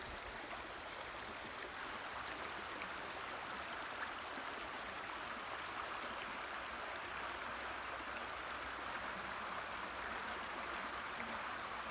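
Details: Steady rushing of a stream or waterfall fills the whole recording, a broad even hiss with no animal calls.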